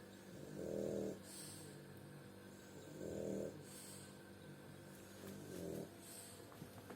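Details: A sleeping French bulldog snores in deep, rattling rasps, each about half a second long, every two to three seconds.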